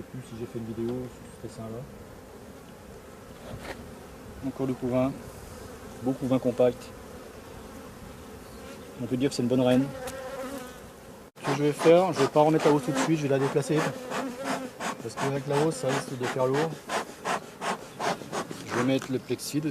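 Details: Buzzing of honey bees from a drone-laying hive whose frames are shaken out some fifty metres from the apiary. Repeated low, harmonic buzzes pass close, sparse at first, then a dense, louder stream of overlapping bursts in the second half.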